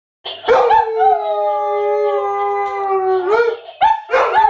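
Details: German Shepherd cross Husky howling: a long sustained tone with a steady fundamental and many harmonics, opening and closing with short sharp yelps and rising barks.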